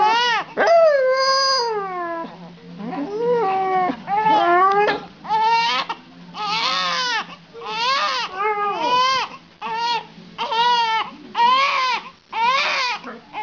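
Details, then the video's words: A dog sings along while a baby cries, with long wavering howls mixed with the infant's repeated sobbing wails, the bursts coming every second or so. "Dog sings while the baby cries"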